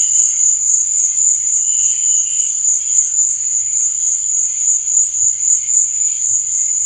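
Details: Continuous high, rapid cricket trilling at night holds an even level throughout, with sparse soft low bubbling sounds underneath.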